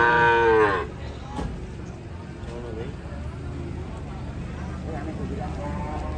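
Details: Agitated cattle in a raging-cow compilation: one loud, strained moo in the first second, then only faint distant lowing under steady background rumble.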